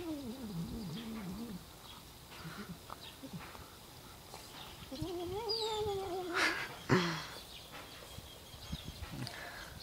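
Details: Domestic cat making a funny noise: wavering, warbling drawn-out meows near the start and again midway, rising and falling in pitch, with faint background voices and clatter.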